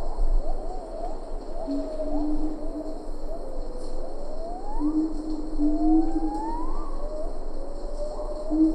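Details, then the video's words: Siamang in Ketambe Forest calling at medium close distance, a few lar gibbons behind: long rising whoops that swoop upward and flatten, overlapping a lower sustained tone, with constant forest background hiss. "Siamang Gibbon. MCU Calls."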